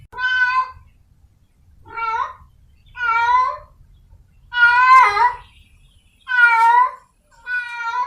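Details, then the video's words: Wild cat in heat calling to find a mate: six drawn-out, wavering, nasal meows, each about half a second long, repeated roughly every 1.3 seconds over a faint low rumble. "Suara Kucing liar sedang birahi mencari pasangannya | The sound of a wild cat in heat"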